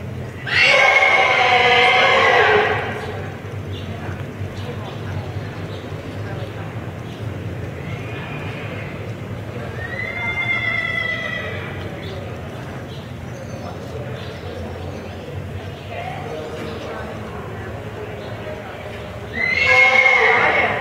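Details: Welsh Pony, a nervous, very forward young male at a pony show in Oregon: a loud, shrill whinny opens the recording, softer wavering calls follow in the middle, and another loud whinny ends it, with people talking and hoofbeats in between.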